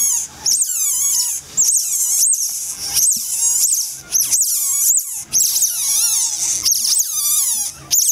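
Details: Asian small-clawed otter pups, born 12 October 2014 and recorded 20 October in the non-public backyard of Fukuoka City Zoo while older siblings carry them about, give shrill, high, overlapping squeaks and chirps, rising and falling almost every second.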